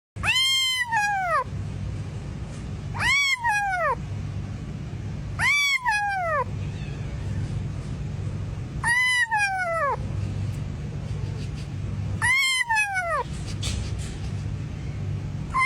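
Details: Cat meowing five times at roughly three-second intervals, each meow a clear harmonic call rising slightly then falling, lasting about a second, over a steady low hum.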